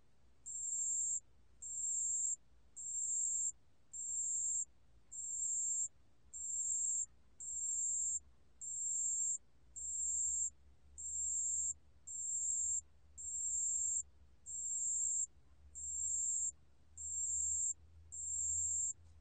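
A cricket gives high, thin trilled bursts, each about half a second long, repeated steadily.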